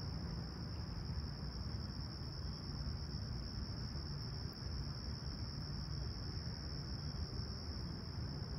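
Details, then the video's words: Crickets on a calm, clear July morning, 28 July 2020, at Humber Bay Shores, Toronto, 20ºC: an unchanging high-pitched chorus tone holds steady while a deep, rumbling background hum fills the low end. "Serene Summer Toronto Morning With Chirping Crickets"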